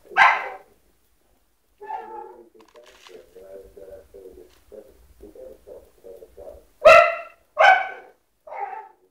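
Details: American Bulldog puppy being a wuss: a sharp yelp, then a run of short, soft whimpering whines about every half second, ending with two loud high barks and a final shorter yap.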